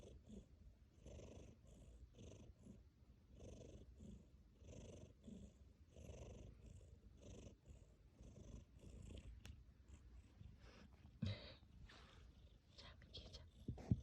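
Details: Tabby cat purring and snoring while asleep indoors: a low, rumbling purr rising and falling with each breath, about 22 breaths a minute, with faint soft higher hiss on each cycle and a brief rustle near the end.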